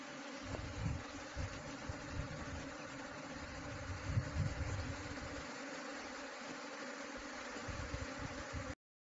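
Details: Honey bees in a hive built inside a wall make a steady, dense droning hum that carries without a break and swells slightly in places, with a low rumbling undertone throughout.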